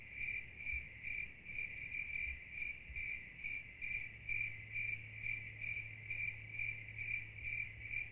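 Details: Soothing cricket sounds: a bright, high, even trill broken into rapid rhythmic chirps, slightly uneven spacing, with a quiet low drone in the background.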